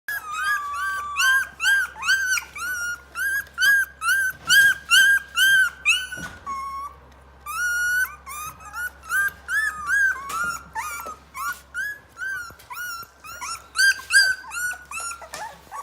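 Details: Rottweiler puppies, 23 days old, give a rapid stream of high, squeaky whines and whimpers, several overlapping.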